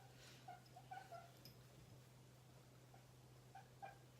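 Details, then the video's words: Pet guinea pig roaming freely indoors in a room, giving soft short tonal squeaks in a quick run, then two more chirps near the end, over a steady low electrical hum. "si vous entendez ce bruit là, c'est mon cochon d'Inde qui s'exprime."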